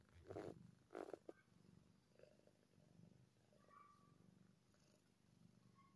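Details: Purring from a happy kitten, a low rumble rising and falling with each breath, opened by two loud scraping handling noises and a few faint higher squeaks.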